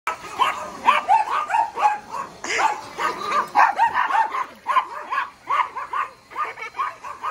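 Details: A Yorkshire Terrier yaps at a Tyco Riptide remote-control vehicle on its first day, barking in quick, high-pitched bursts several times each second.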